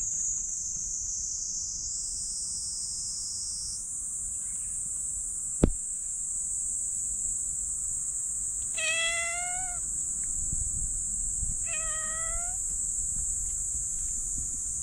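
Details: Black stray cat meowing as its lower back is patted: two clear, drawn-out, slightly rising meows about three seconds apart, over a steady high, shrill insect-like whine and a single sharp click.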